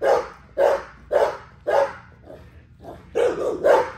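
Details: Deep, harsh barks from an XL American Bully being exercised, about two per second in a regular run with a short softer gap in the middle.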